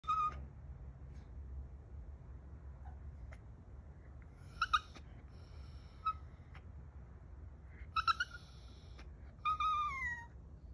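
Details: Mexican Chihuahua squeaking like a cat. There are thin, high, tonal squeaks in short bursts with a few quiet gaps, then a longer squeal that falls in pitch at the end, over a low, steady indoor hum.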